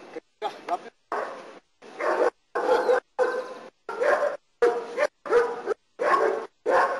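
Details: German Shepherd named Nero barking during protection work in Costa Rica: loud, harsh barks in a steady series, roughly one every 0.7 seconds, with a human voice heard among them.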